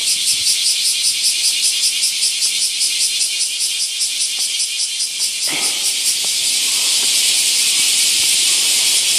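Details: Summer chorus of bear cicadas in the huge camphor tree at Daitokuji Park, Nagasaki, Japan; steady rapid pulsing shrill buzz, about two to three pulses a second, then blending into a continuous high hiss, faint voice midway.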